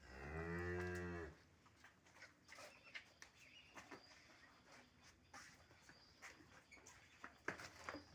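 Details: A dairy cow on a farm in Bangladesh, offered for sale with her calf, gives one deep, loud moo lasting just over a second, then falls silent while people talk and move around the shed.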